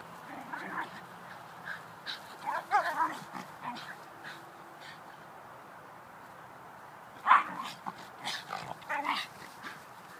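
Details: Backyard wrestling match between Shiba Inus Rebel and Videl: rough growls and squealing whines rise and fall in uneven clusters, loudest bursts near the middle and end, over a quiet outdoor background.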